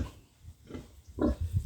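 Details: Pig in a backyard farm pen, a gilt being raised as a breeding sow, giving a single louder nasal grunt near the end over low rumbling thumps and soft background noise.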